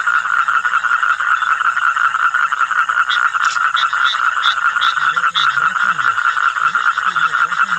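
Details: Several common toads calling around Mettur reservoir; a steady, unbroken pulsed trill at one even pitch runs throughout, with faint low wavering sounds in the second half.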